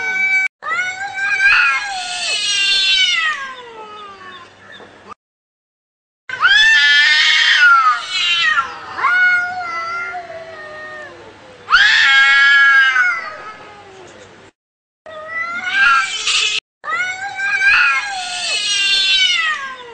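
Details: Fighting cats yowling angrily, a series of long howls that rise and fall in pitch, several turning into harsh raspy screams, separated by brief gaps.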